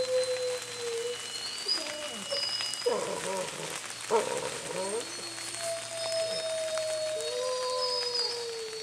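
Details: Rain-soaked chorus from the Bays Mountain Park wolf pack: drawn-out howls slide and hold beneath a steady hiss of falling rain, with a cluster of rougher yipping voices breaking in partway through.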